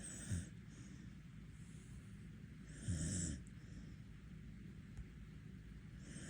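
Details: Border Collie in Korea snoring while asleep with its eyes open: two low, rumbling snores about three seconds apart, quiet steady hiss between them.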